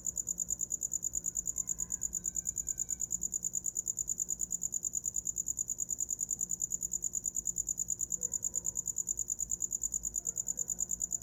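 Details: Shrill cricket chirping, a tight run of high pulses about three per second, steady throughout as a sound for sleep, with only faint scattered background noises.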